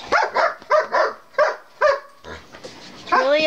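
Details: Pet dogs at home (Jeb, Oliver, Scotty, Elvis, Chase, Gypsy and Brittany) getting loud: five sharp barks in quick succession, then a rising, whining yelp, with a person talking nearby.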